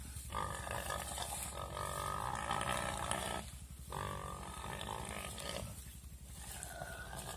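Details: A wild boar caught by a Komodo dragon screams in long, grating squeals. The two loud bursts last a couple of seconds each with a rough, buzzing edge and a short pause between, and a quieter rasping cry follows.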